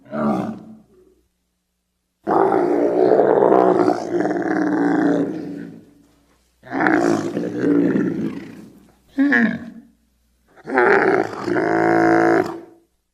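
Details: Wild Bactrian camel (Camelus ferus) giving long, rough, harmonic groans. A brief call comes first, then sustained rumbling bellows of several seconds each, separated by short silences, with the last one rich and drawn out.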